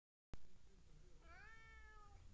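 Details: Talkative domestic cat giving a single drawn-out meow, rising slightly then holding level with rich harmonics, in a quiet setting with a low background hum.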